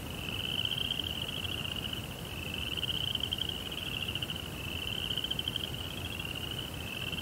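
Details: Night crickets in a Japanese Zen garden with a koi pond give an unbroken, shimmering high trill. It swells and fades gently every few seconds above a faint low background hum.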